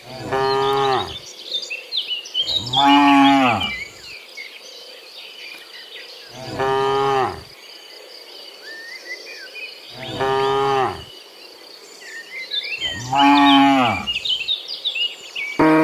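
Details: Dozens of cows herded home from the fields to their pen in the afternoon. Five long, low moos come roughly every three seconds, each a rich harmonic bellow sliding down at the end, with bird chirps and insect hum between them.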